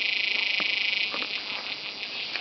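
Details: A forest cicada's loud, shrill buzzing drone, rapidly pulsing at first and then steady.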